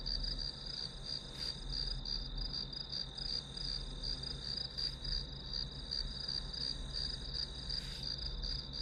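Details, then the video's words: Grass insects chirping as a study background: a steady high pulsed trill beneath a constant low hum, with a few brief soft knocks scattered through. "풀벌레 소리"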